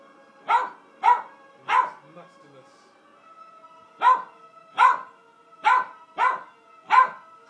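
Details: Angus Pong the dog gets excited watching Sylvester Stallone in Rambo: First Blood, giving three quick loud barks, a pause, then five more in close succession, with a steady tone from the film beneath.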